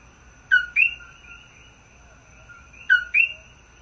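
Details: Coqui frog calling in front of a room on Maui, 17 May 2024: two sharp two-note calls, a low note jumping to a higher whistled note, about two and a half seconds apart, over a faint steady hum.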